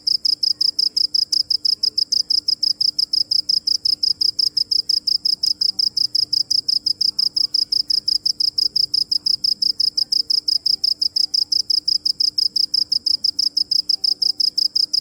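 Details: A cricket chirps without pause, its piercing, high-pitched pulses coming in a fast, very even train of nearly three per second, while a soft electrical-sounding hum lingers underneath.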